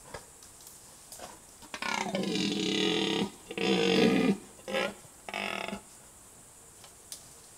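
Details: Red deer (Cervus elaphus) in the rut, recorded by a camera trap. It gives a deep, harmonic, groaning roar in four bursts over about four seconds: a long bellow, a louder second roar, then two shorter grunts, over a faint background hiss.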